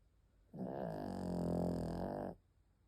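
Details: Penny, a sleeping dog, gives one long snore of almost two seconds, a low rumbling, finely pulsed drone that fades in and stops abruptly, with quiet room hush before and after.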